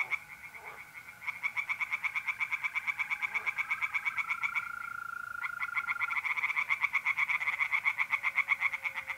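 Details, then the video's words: Pond chorus of tree frogs by night in mid-April, north-east Italy. Rapid pulsed croaks build and grow louder, several callers overlapping, with the continuous buzzing trill of mole crickets running underneath. "relaxing singing tree frogs in pond"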